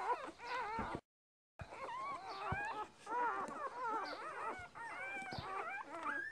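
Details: Newborn Border Collie puppies, two days old, from a litter of six born to a purebred mother named Lilly; dense chorus of thin wavering squeaks and whines, rising and falling, broken by a short gap of silence.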